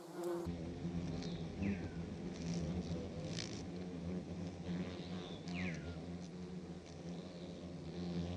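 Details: German wasps (yellow jackets) buzzing in flight: a steady low droning hum with layered harmonics and slight wavering pitch, while a few short descending bird chirps sound faintly in the background.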